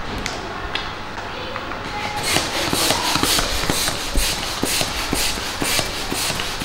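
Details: Loud rustling and crinkling with repeated sharp taps and knocks, growing busier after the first two seconds.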